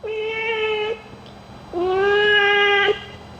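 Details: While having its ears cleaned, a cat gives a loud, sustained meow, falls silent, then gives a second longer, even, rich-toned meow lasting over a second.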